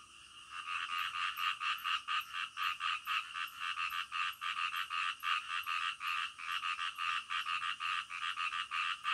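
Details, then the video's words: Frogs calling in the middle of the night, a dense chorus of rapid, pulsed croaks repeating about twice a second, each harsh pulse with bright upper tones, steady and unbroken throughout, with faint high ticking above. "SUARA KODOK DITENGAH MALAM"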